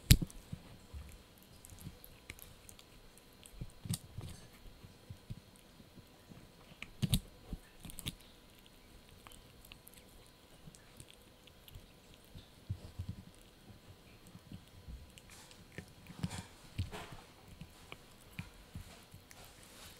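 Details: A male Yorkshire Terrier puppy crunches and gnaws on a dried bunny ear, with irregular sharp clicks and soft mouthing.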